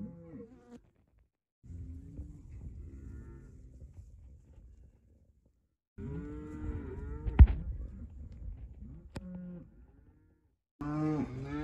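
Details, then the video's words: Repeated cow moos, deep and sustained, with a bending tone that lifts and then drops; three main calls separated by silences, one sharp click partway through. "cow sound"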